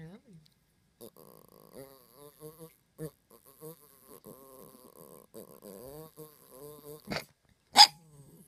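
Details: Chihuahua minpin mix trying to speak: a long string of short, wavering, talky whines and grumbles rising and falling in pitch, ending with a couple of sharp louder bursts.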